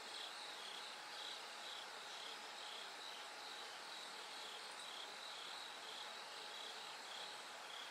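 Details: Bell cricket song in the night before dawn: a steady, high ringing pulse repeating about twice each second, layered in a thick chorus of insects with a faint hum underneath.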